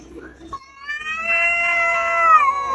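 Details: Cat that wants to fight: after a brief soft noise, a rising, nasal wail swells and is held, wavering slightly before easing downward at the close.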